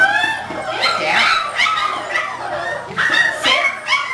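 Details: English Springer Spaniel puppy, six weeks old, during obedience training: high whining yips and squeals in quick overlapping bursts, some rising then falling, with several pups crying together.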